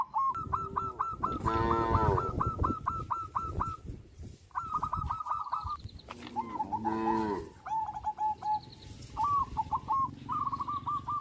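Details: Cows on a traditional village farm. Two long, deep, harmonic moos, one near the start and one in the middle. Steady rows of short, hooked, whistled bird chirps run through the whole recording.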